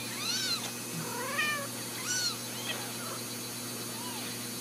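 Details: Ragdoll kittens at a home cattery in central Kansas mew softly and sporadically. The thin, arched cries are partly buried under a steady background hum.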